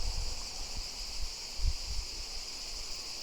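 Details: A chorus of cicadas sings a steady, high, shimmering ch-ch-ch buzz that never pauses, all day long for a week in summer on French château grounds.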